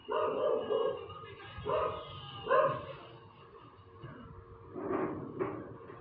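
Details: Dog that keeps barking on and on, giving a cluster of three loud harsh barks in the first few seconds, a quieter pause, then two more quick barks near the end.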